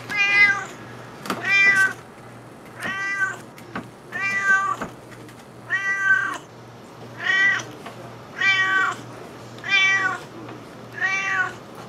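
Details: Wanting the salmon he smells, Juniper the cat meows insistently, nine clear harmonic meows at a steady rate of about one every 1.3 seconds, each rising then falling, with faint taps and a low hum.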